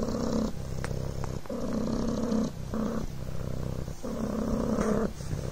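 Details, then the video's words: Kitten Coco, a Devon Rex, purring on a blanket, giving a deep buzzing vibration that alternates between stronger and softer phases with each inhalation and exhalation, plus a few light clicks. "PURRING BLANKET"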